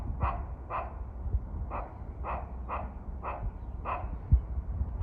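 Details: Squirrel at a shrine in Kawazu town, Shizuoka Prefecture, Japan, calling to threaten birds: eight sharp, barking chucks at an even pace of about two per second, set against a constant low hum.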